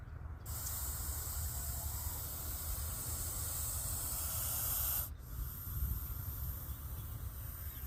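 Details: Russell's viper hissing when threatened, a sound likened to a pressure cooker whistle: one steady, loud, breathy hiss of about four and a half seconds that cuts off abruptly, over a low background rumble.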